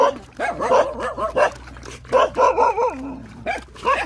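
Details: Hungry Rottweiler puppies nursing produce a quick run of short, rising and falling whimpers and squeaks, roughly two or three per second, over a faint steady hum.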